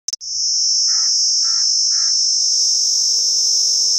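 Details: A cicada in Pakistan gives a loud, steady, high-pitched buzz that holds unbroken throughout.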